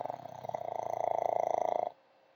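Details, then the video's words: Elderly Pug sleeping on a sofa, worn out after a long day: one long, steady, buzzy snore with fine rapid pulsing, growing slightly louder for nearly two seconds, then stopping abruptly into quiet. "Pug Dog Snoring, Sleeping All Tuckered Out."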